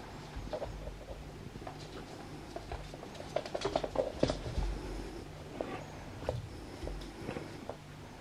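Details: Male albino ferret playing with an arm indoors: a quick burst of soft, rapid clucking pulses clusters in the middle, set against steady scuffling and pattering of movement in a small room.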